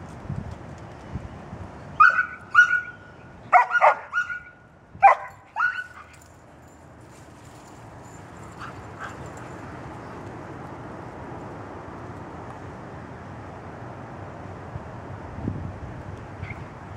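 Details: Dogs hunting squirrels as a pack, one male giving a high-pitched bark: a quick series of sharp yapping barks over about four seconds, then only steady outdoor background noise.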